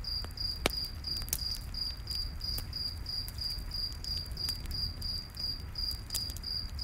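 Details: Chirping crickets in a nighttime forest by a campfire: a regular train of high, bright pulses, roughly two or three per second, mixed with frequent snapping crackles from burning wood and low rumble.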